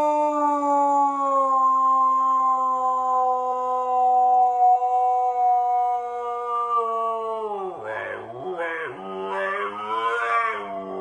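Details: Long, level howl from a Siberian Husky noted for its weird voice and big lungs, sustained about eight seconds, then turning into wavering, yodel-like swoops that rise and fall several times.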